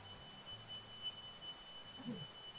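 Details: A cricket near a rubber plantation by the Jaldhaka river in the Dooars, North Bengal, India, rings out a steady, high, bell-like tone that runs without a break.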